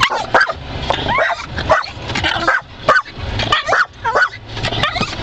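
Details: Rocky, a pet dog, barking and biting at car wiper blades as they swipe; short sharp barks and yips come in quick irregular bursts, roughly fifty a minute, over a low engine-like hum.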